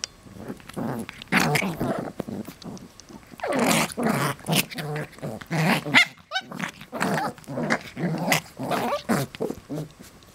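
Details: Westie puppies wrestling with their parents, a near-continuous run of rough growling and snarling in pulsing bursts, one brief high squeal in the middle, with scuffling indoors.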